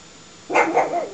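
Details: A pug facing off with a tiger gives a single short, harsh bark with a strained, wavering tail, rising sharply out of a quiet background.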